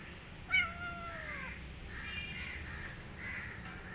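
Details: Kitten running away and hiding in a jacket, giving one drawn-out meow that slides downward, with soft rustling afterwards and a steady low hum underneath.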